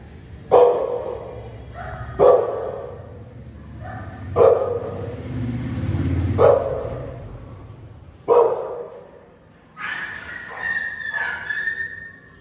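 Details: Angry pit bull barking: five loud, sharp barks spaced about two seconds apart, then higher, drawn-out whining cries near the end.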